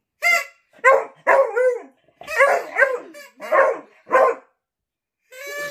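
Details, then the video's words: A pet Beagle in a noise-making contest with its owner. It gives a run of short, harmonic, wavering aroo howls and yelps in bursts about half a second long. The bursts follow one another with brief pauses, and a final howl starts near the end. "the Beagle vs Dad | funny who can make more noise aroo competition"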